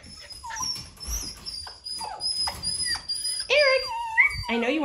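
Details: Poodle puppy brothers playing indoors in a small room, one named Eric; high, squeaky whines and short yelps repeat irregularly, rising and bending in pitch, over a person calling to the boys by name.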